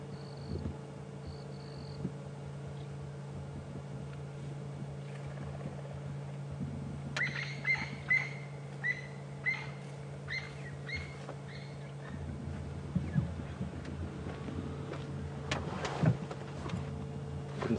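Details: Tree squirrel at Djuma Game Reserve alarm calling incessantly for a long spell, perhaps at a snake in a nearby tree, on 8 April 2015. Quick series of clipped, ringing chirps repeat in bursts over a low, constant engine drone.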